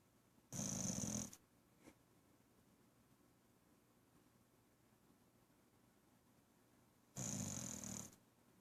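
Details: A female pet dog snoring in her sleep, two raspy, whistling snores about six seconds apart, each under a second long, with a faint snuffle between them in an otherwise quiet room.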